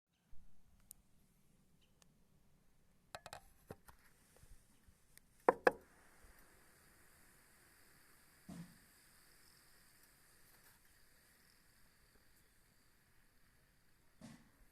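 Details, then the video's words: Healthy wintering honey bee colony answering a beekeeper's knock on the hive: a few sharp wooden knocks, then a soft, steady hiss swells within the hive and holds evenly to the end, with one later faint knock. "Звук нормально зимующей пчелиной семьи: пчёлы отвечают на стук пчеловода."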